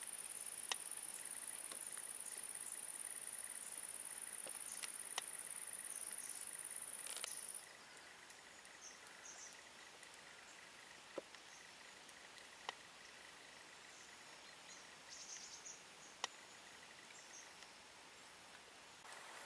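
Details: Large marsh grasshopper in Vendée marshland, France, giving scattered dry clicks spaced roughly a second or more apart; a continuous thin high buzz runs through the first part, then stops, leaving quieter ticks.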